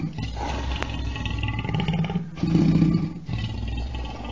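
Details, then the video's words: Lion roaring: deep, rough, low-pitched rumbling that swells twice, loudest near the middle and again toward the end, with a gritty, throaty texture throughout. "Ruggito del leone"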